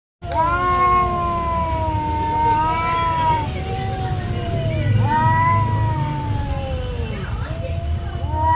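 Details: Domestic cats in a territorial fight, long drawn wavering yowls rising and falling, sliding tones repeated over several seconds, with low background rumble; a man speaks briefly afterward.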